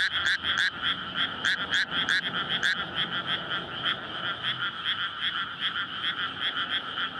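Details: Frogs in a flooded rice paddy on a May night call in courtship; loud bursts of croaking early on, then a steadier, softer chorus of rapid overlapping pulses, recorded with a SONY PCM-D100.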